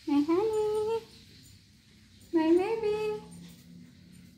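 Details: Indoor pet cat, a male wanting the door opened to go out and play, gives two wavering meows, each starting low and rising into a held, slightly bending tone, over two seconds apart; a faint low hum continues after the second.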